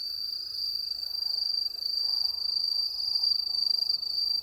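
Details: Crickets at night in the countryside, giving a continuous high, shrill trill that pulses rapidly and unevenly in loudness, with a faint low rumble beneath.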